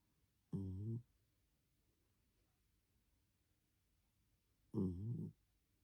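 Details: Sleeping puppies snoring in a quiet room: two short, low, rumbling snores, each under a second with layered harmonic tones, about four seconds apart, with near silence between them.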